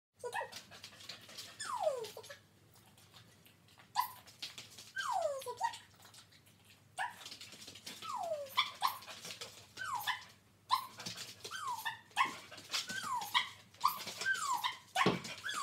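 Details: Border Collies Jillie and Levi at work doing dog tricks; bursts of high, whiny yelps that slide downward, coming in clusters with short quiet gaps across about sixteen seconds.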